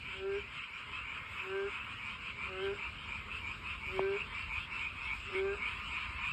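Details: Frogs calling along a walking path while trying to find a mate; short rising croaks with stacked harmonics repeat about once a second over a dense, continuous high-pitched chorus of many other frogs.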